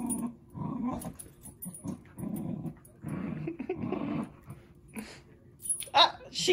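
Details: Two dogs, Zuko and Izzy, playing together; short gravelly growls come in choppy bursts, mixed with snarly rumbles, a human voice and a brief higher yelp near the end.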